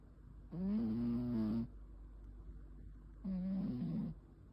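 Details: Pet cat asleep and snoring, recorded 9 May 2026: two harsh, nasal breaths about three seconds apart, the first over a second long and level, the second shorter and wavering, with near silence between.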